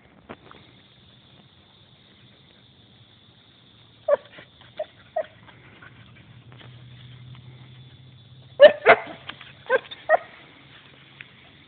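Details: Belgian Shepherd playing with a turtle, giving a few short sharp yips and whimpers in irregular bursts, with a steady low hum underneath and quiet gaps between calls.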